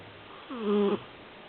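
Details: A pet dog snoring in its sleep: a single tonal, slightly whining snore about half a second long, flat in pitch, over a low room hiss.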